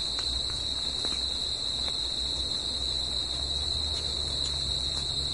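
Crickets trill steadily at night, a continuous high-pitched ringing chorus.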